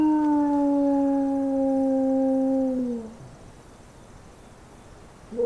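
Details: Single adult wolf howl played back at a summer survey station to prompt replies from packs. A steady, slightly falling, tonal howl lasts about three seconds and slides down at its end, followed by quiet and the start of another howl.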